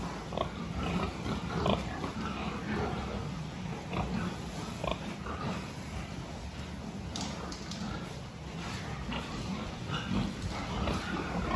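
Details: Pig health check on 26 October 2023, with pigs heard in a noisy barn making brief low grunts and a few sharper squeaky snorts, spaced irregularly over a continuous background rumble.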